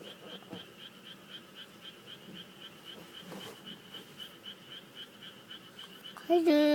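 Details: Frogs calling in a chorus: steady, fast trains of short high-pitched pulses throughout, with a few soft knocks, and a loud harmonic voice-like sound breaking in at the very end.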